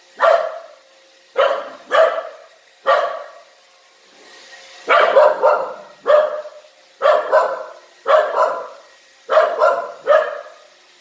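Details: A dog, unsure of a new Roomba robot vacuum, barks at it repeatedly in sharp, mid-pitched woofs, often doubled, about once a second.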